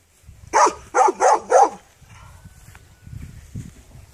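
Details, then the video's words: Four sharp dog barks in a rapid, evenly spaced run within about a second, then quiet with low rumbling background noise and a brief faint tone. "The dog is barking"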